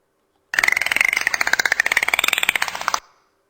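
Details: Dolphin echolocation (sonar) clicks: a rapid, buzzing train of sharp clicks that alternate between louder and quieter, the clicks not all the same amplitude.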